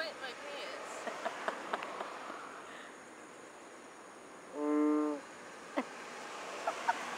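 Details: Single loud, buzzy, harmonic frog call from Borneo, about half a second long, rising out of steady background hiss with scattered faint clicks before and after.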